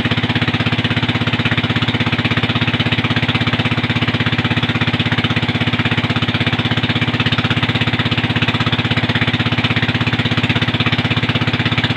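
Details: Steady mechanical drone with rapid, evenly spaced pulsing, like an engine or jackhammer running outdoors, and no animal voice.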